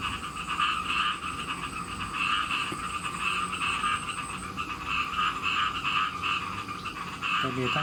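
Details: Farmed khiat mo frogs of mixed sizes kept in Thailand, calling as rain approaches: a dense, steady chorus of buzzy croaks overlapping without pause, with a thin high insect-like whine in the background.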